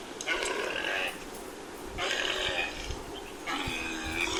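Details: Camel calling in three harsh, groaning bursts, each about a second long with rich stacked harmonics, spaced roughly one and a half seconds apart.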